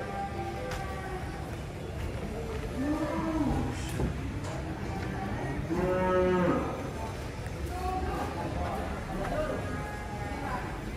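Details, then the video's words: Giant big-bellied cattle being unloaded from a truck: two drawn-out, low harmonic moos, each about a second long, over steady background noise and people chatting nearby. "KUMPULAN SAPI RAKSASA TURUN DARI TRUK SI PERUT BESAR"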